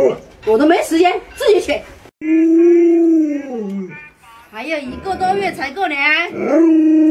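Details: Alaskan Malamute named Luoluo, a pet dog reacting indoors as its owner wears a mask to scare it; drawn-out, smooth, slightly falling howls mixed with bursts of speech-like yowling, with a human voice also heard.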